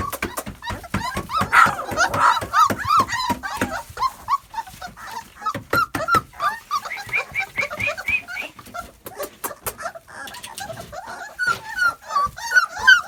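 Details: Cane Corso puppies, two and three weeks old, making many overlapping high squeaky whines and short yelps. Steady clicking and rustling continue throughout.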